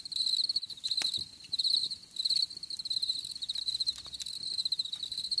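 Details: Crickets chirping in shrill, high pulsed bursts with short pauses between phrases, over faint scattered clicks and a soft low rustle.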